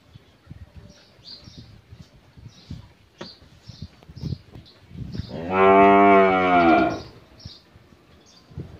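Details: Thirteen-month-old Holstein Friesian heifer calf on a dairy farm in Pabna, Bangladesh, giving a single loud, harmonic moo of about a second and a half, with soft clicks and farm noise around it.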